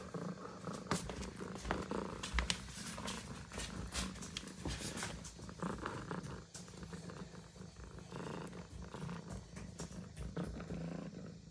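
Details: Kitten sleeping together with ducklings that jumped up beside it; a steady low purr runs throughout, broken by soft rustling and scattered clicks and bumps indoors.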